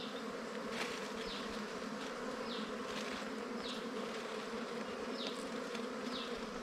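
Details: Continuous swarm drone from a wild bee nest found while honey hunting, a thick even hum with faint falling high chirps recurring roughly every second in the background.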